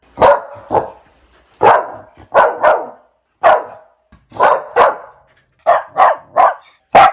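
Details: Puppy barks in quick pairs and threes, short sharp yaps separated by brief pauses over seven seconds.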